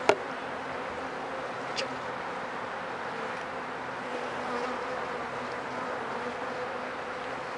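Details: Opened hive of honey bees being checked for sickness after four rainy days, with many dead bees lying in front; continuous thick humming of the swarm, a sharp tap at the start and another soon after.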